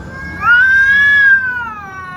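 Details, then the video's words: A single long, clear cat meow lasting about a second, rising slightly then sliding down and fading, with a steady low hum in the background. "Meow Meow Meow Meow"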